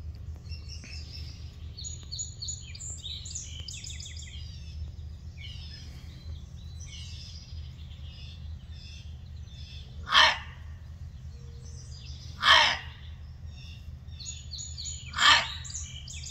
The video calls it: What does the fox say? Gray fox barking